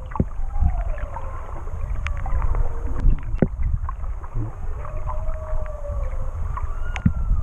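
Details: Whales singing underwater off Tonga, recorded while swimming with them: long sliding moans and rising-falling whistled tones, some sweeping up then down, over low rumbling water noise with sharp clicks and knocks.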